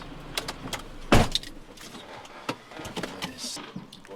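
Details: Car sounds with jangling keys, a door thud near the one-second mark, and scattered clicks and brief speech, with no animal voice.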